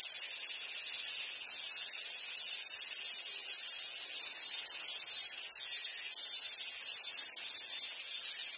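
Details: Cicadas singing in summer at Awaji Island Monkey Center in Sumoto, Hyogo, Japan, where wild Japanese macaques gather: a steady, unbroken high hissing buzz that fills the air for the whole stretch without pause.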